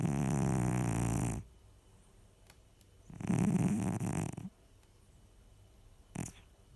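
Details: Baksik, a pet cat, snoring while asleep indoors: two loud, low, rumbling snores with a buzzy texture, each about a second long and separated by a quiet pause, then a faint short click near the end.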